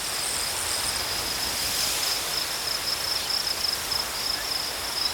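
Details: Crickets chirping as a nature ambience: a steady, dense high-pitched trill runs unbroken through the whole stretch over a constant hiss of background noise.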